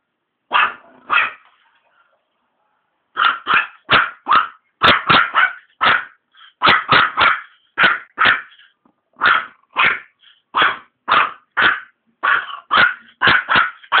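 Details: A Maltese (bichon maltez) dog barking at cigarette smoke: single sharp barks, mostly in pairs and short runs of two to four, with brief pauses, about twenty barks over fourteen seconds.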